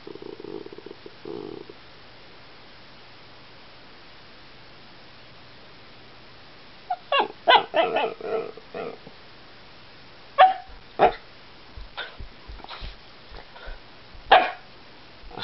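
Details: Year-old Alaskan Klee Kai barking to get the household cat to play; quiet start, then a rapid burst of yappy barks followed by scattered single sharp barks and soft thumps.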